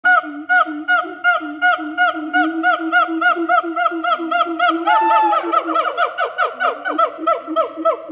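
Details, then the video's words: Siamang gibbons at Fota Wildlife Park give loud, rhythmic, honking calls, several notes per second, with overlapping voices joining partway through; announcing their presence, audible up to 2 miles away. "Siamang Gibbon at fota wildlife park"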